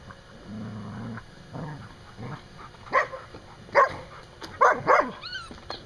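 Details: A dog outside a pen play-fighting with another dog, near a mother dog with her six-week-old pups: a low rumbling growl for about a second, then a few sharp, separate bark bursts toward the end.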